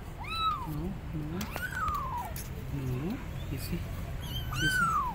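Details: Abandoned kittens on a gate meowing loudly to call their mother cat; several drawn-out, downward-sweeping meows in close succession, some overlapping, with a person speaking softly and low background hum.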